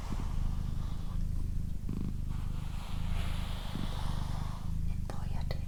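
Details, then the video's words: Deep rhythmic purring from a pet female cat named Doroti, strong and steady with short pauses between breath cycles, accompanied by gentle whispering and a few light taps. "Cat Purring"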